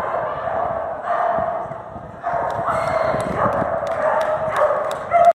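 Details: During a first-place AKC Master Jumpers agility run in Wichita Falls, Texas, November 2021, Border Collie Sparky gives loud, rapid, excited barking that runs almost continuously, with faint clicks and arena noise underneath.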